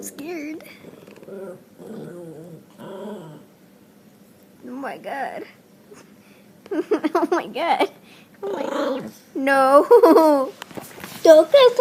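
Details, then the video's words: Pet dog producing weird noises: low growls and warbling whines that build into louder, yodel-like cries toward the end, with human voices heard in the background. "Dogs making weird noises"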